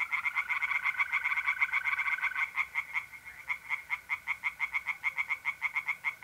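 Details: Tree frogs singing by night in a pond in North-East Italy in mid-April: rapid, regular pulsed croaks repeated in fast series, over a steady high trilling of mole crickets.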